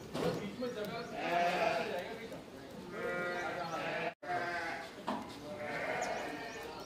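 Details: Goats at feeding time at Zaahi Goat Farm, a goat lodging and boarding farm in Virar, Mumbai; several overlapping nasal, wavering bleats come in bursts with short gaps, over a steady background murmur of farm noise.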